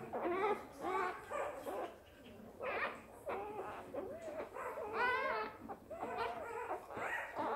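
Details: Border Collie puppy just born, crying in a rapid series of thin, wavering squeals that rise and fall, about two per second, pausing briefly before a louder stretch of bent, whining cries.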